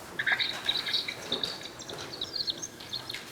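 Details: A mouse carrying a mutation studied in autism research gives ultrasonic vocalizations used for social communication: quick, high, chirpy whistled notes in rapid bursts, much like a bird call, over a faint room hiss.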